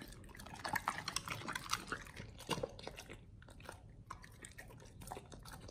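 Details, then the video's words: Pit Bulls chomping raw beef shank, liver, green tripe and duck wing at feeding time: rapid crisp bites and wet crunches tumbling one after another, loudest early, then steadier snapping. "Pit Bulls eat Raw Beef Shank combo [ASMR] | BARF | MUKBANG 動物の咀嚼音 | 犬が生の肉を食べる"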